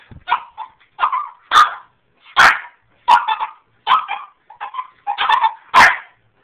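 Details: Puppy Dexter, a Boston Terrier and French Bulldog cross too small to manage coming down the stairs, yaps in a steady string of sharp, high barks and yips, roughly two each second, with no pauses.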